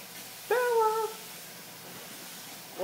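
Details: Hyper female Italian greyhound named Bella, excited on seeing her owners, gives one slightly falling, whine-like yelp of under a second in a quiet room, then near silence before another cry begins.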